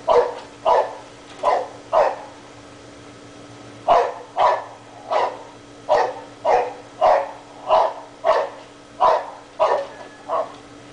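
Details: Dog left outdoors all day with no one home, barking at holes in the ground; a long run of fifteen or so loud, even barks, roughly two per second, over a faint constant hum.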